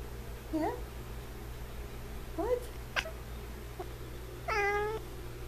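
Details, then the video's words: Short, chirpy meows from a male F6 Savannah cat: a few quick upward-sliding calls, then a longer, steadier, strongly harmonic meow near the end, over a low background hum. "Super cute Cat Noises"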